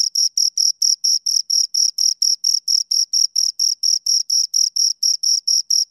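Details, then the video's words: Pair of crickets producing rapid, evenly repeated shrill chirps, roughly four pulses each second at constant loudness, high and thin with a faint overtone above, in complete background silence. "Two Crickets Chirp Sounds for Two Hours Right on Your Ears"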